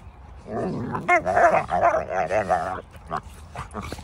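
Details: Cane Corso dogs in a pack: a loud run of wavering, harmonic whines and yelping cries lasting about two seconds, with pitch sliding up and down, followed by a few short, quieter yips and faint background noise.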